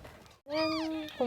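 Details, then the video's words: A single steady, drawn-out meow, followed by the start of another, from a home delivery in a box by odd-eyed Persian angora cat Huimang, said to be tired after giving birth; a muffled voice comes just before. "cat giving birth in box"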